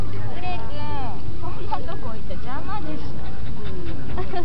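A Cairn Terrier gives bursts of high, sliding whines and yips during rough play, not a fight.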